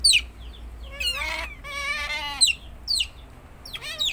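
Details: Pet otter giving shrill cries: rapid high falling chirps, then two drawn-out wavering whines, followed by more sharp downward-sliding squeaks.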